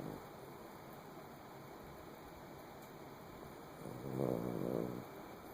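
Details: Kilroy the dog snoring while asleep: a mostly quiet stretch, then a single low, rough, buzzing snore of about one second near the end.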